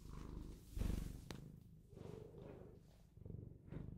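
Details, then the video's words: Close, low rumbling purr from a pet Bengal cat, the buzzy vibration swelling and fading in breath-length waves, with one brief sharp click near the start and a quiet background. "Cat Purring ASMR | Bengal Cat Purrs On Video"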